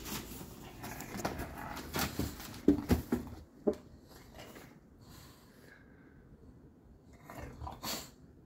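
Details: Baby bulldog mid teething tantrum, with a cluster of short, sharp grumbling yips and snorts early on, then quieter shuffling and a final brief whiny burst.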